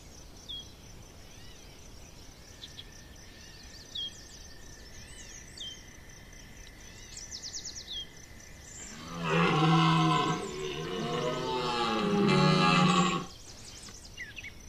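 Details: Red deer rut at Chambord in September 2021: after quiet moments with scattered bird chirps and a steady tone, a stag lets out a powerful, rolling bellow of about four seconds, rising and falling in pitch.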